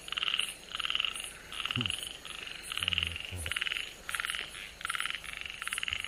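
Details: Rare Namie's frog, an Okinawa natural monument, heard on 31 July 2022 giving rhythmic grating croaks in close-spaced bursts, roughly two per second, with faint human voices mid-way.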